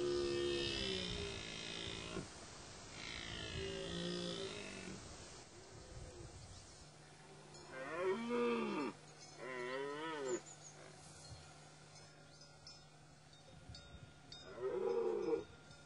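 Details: Dominant male deer during the rut, giving loud harmonic bellows that arch up and then fall. Long calls open the recording, and shorter bursts follow near eight, ten and fifteen seconds. A steady low hum runs beneath the quieter stretches.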